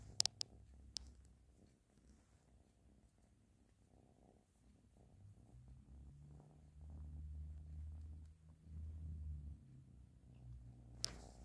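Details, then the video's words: Ashley the cat purring, a deep pulsing rumble that grows stronger and more tonal in the second half, with a few crisp clicks at the start and end. "Ashley Is Purring"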